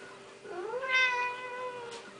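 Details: Talkative Siamese cat makes a rich, rising meow that swoops up then holds a bright, even tone for about a second before fading, with a steady background hum and a brief hiss at the end.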